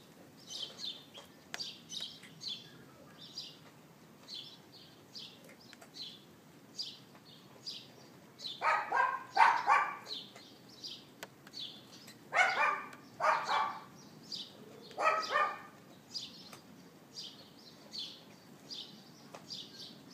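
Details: Yapping neighbour's dog kept outside, April 18th 2012 around 11:31 AM on an iPhone 4S: pairs of barks in the second half, under a near-constant chatter of high bird chirps.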